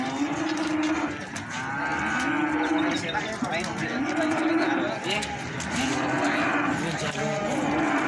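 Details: Cattle market at Plaosan, Magetan: feeder cattle being sold give repeated deep, arching moos, each lasting about a second, one after another over a steady background of market noise.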